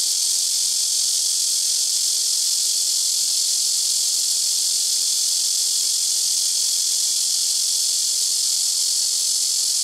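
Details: Blackish cicada droning from rooftop trees at a home, neighbouring trees taking turns; a relentless high, electric-sounding hiss that never pauses for ten seconds, over a faint constant low hum.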